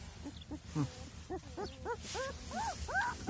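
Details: Week-old Kangal puppies, a litter of three males and two females, crying in a series of high arched whines that rise in pitch and loudness, about three per second, over a steady low hum.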